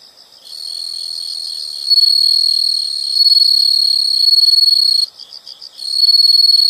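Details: Insect chorus of high, continuous trills, growing louder in steps, briefly dropping to rapid pulsed chirps near the end before the steady buzzing trill resumes.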